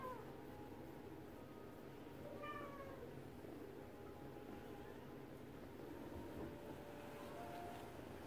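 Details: Domestic Shorthair cat awaiting adoption, January 18, 2021, mid-morning: one brief harmonic meow near the middle, then a faint later mew, over a constant low indoor hum.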